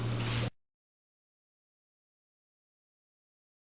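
A half-second burst of broadband noise with a low hum, then complete silence; no animal is heard.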